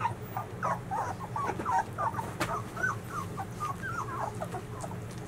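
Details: Litter of 13-day-old White Swiss Shepherd puppies whining together; many short overlapping wavering squeaks and whimpers, tonal and irregular, from several pups at once over a low steady background hum.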